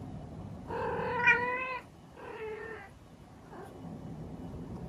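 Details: A female Munchkin cat gives two drawn-out, harmonic meows, calling for attention.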